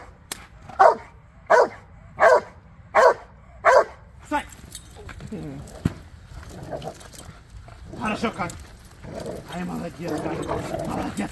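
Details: Kai, a male Rottweiler, during foundation bite work training for personal protection, gives five loud evenly spaced barks about every 0.7 seconds, followed by scuffling, a handler's voice and quieter vocal sounds.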